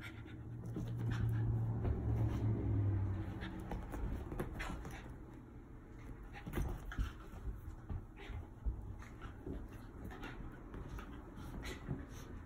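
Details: Rat Terrier Bella at play with her cousin: quick rough panting and scuffling bursts, a low steady rumble fading out in the first few seconds, then irregular sharp knocks and breaths continuing to the end.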